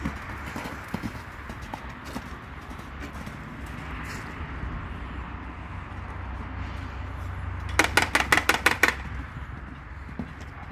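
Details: Arabian horse with scattered soft hoof knocks, then a quick run of about eight sharp, evenly spaced clops near the end, over steady low background noise.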